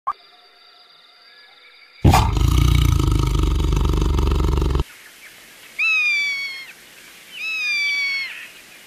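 A tiger gives a harsh, deep roar lasting nearly three seconds, followed by two higher whining cries.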